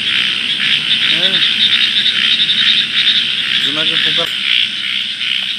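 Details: Night-time frog chorus by water, a steady high trilling din with two short, pulsed, nasal croaks breaking through, one early and another cluster later.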